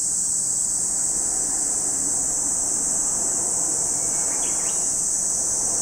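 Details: At Lake Kamo, Sado City, Niigata Prefecture, Japan, cicadas keep up an even, piercing high drone, with a soft low rumble and a couple of faint chirps near the end.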